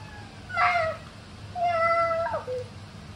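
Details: Ragamuffin cat at home, keeping its distance from a baby, gives a brief meow, then a longer, steady, tonal meow that bends downward at its end, in a quiet room.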